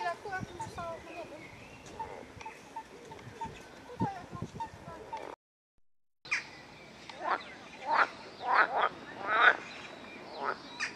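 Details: Edible frog in the rose park at Chorzów, Poland; after a stretch of faint chatter and bird notes, a run of loud, rasping, pulsed croaks repeated about every half second, with a short silent gap between.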